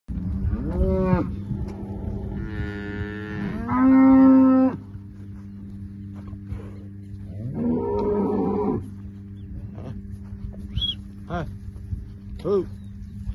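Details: Heifers that have calved, kept with their calves at Capim Grosso, Bahia. Several moos and bleats of different pitches come one after another: a short rising call, a long tonal low, and a buzzier bellow near the middle, with a steady background hum throughout.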